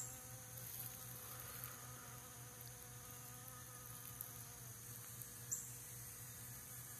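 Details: Three western honey bees visiting centipede grass flowers to collect pollen, recorded on a phone camera; a faint, steady low hum with layered overtones runs throughout, wavering slightly in pitch, over a constant high background hiss.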